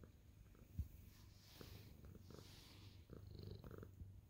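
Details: Senior tabby cat purring happily while kneading, making biscuits, glad to see its owner; steady low rumbling purr in pulsed bands with faint clicks and rustles, recorded indoors.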